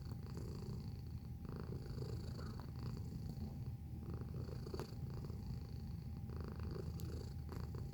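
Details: A pet cat purrs close to the microphone, a low vibrating drone of fast regular pulses that never pauses. Scattered light clicks and a faint steady high hum are also present.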